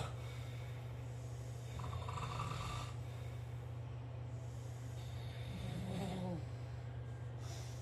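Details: Sleeping dog snoring, with rough, breathy snore sounds swelling near the second and sixth seconds over a constant low droning hum.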